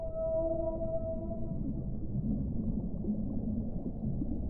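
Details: Whale vocalization beneath the sea: a clear harmonic tone held for over a second, stacked in several parallel pitches, followed by softer low groaning amid a heavy background rumble.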